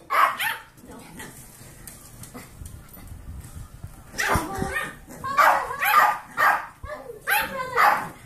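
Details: A quiet stretch with faint talk gives way to a run of sharp yipping barks, about two per second, as Kirby, an 8-year-old Pomeranian, romps with his 8-week-old golden retriever mix foster puppies.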